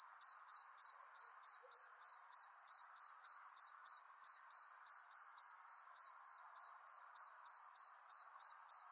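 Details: Crickets chirping at sunset beneath a persimmon tree: high, pulsed chirps in a steady, fast train, roughly three every second, with a fainter buzzing band lower down and no other sounds.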